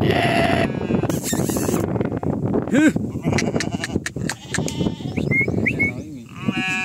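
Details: Farm sheep offered for sale. Short quavering bleats open and close the recording, set against constant chatter and human voices in a busy setting.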